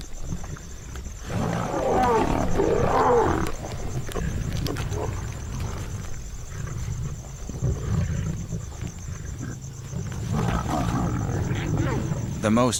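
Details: Asiatic lions in farm fields in India, a pride with cubs crowding onto a spotted deer kill after a hunt, growl deep and rough in rumbling bursts, with a narrator's voice heard over them.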